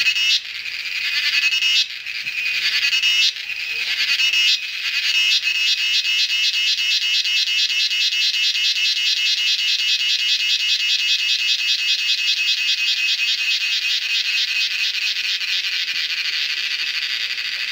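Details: In the jungle of the Western Ghats, India, during the monsoon, cicadas keep up a loud, high, pulsing buzz that swells and steadies into a continuous metallic drone.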